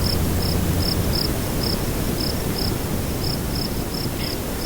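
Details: Cricket chirping at nightfall, windy: sharp, high pulses come a little more than three per second, slightly irregular, while strong wind rumbles underneath.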